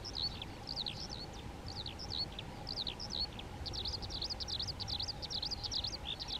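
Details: Colony of European ground squirrels (Spermophilus citellus) calling to one another: rapid series of brief, high, downward-sliding whistles, some V-shaped, repeated several times a second, with a constant low droning hum underneath.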